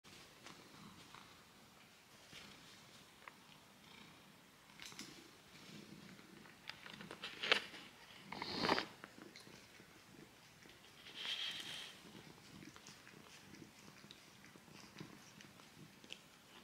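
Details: Socky, a pet male cat, grooming his foot indoors: a soft, steady low rumbling purr runs throughout, broken by louder wet licking and rustling bursts around the eighth and twelfth seconds.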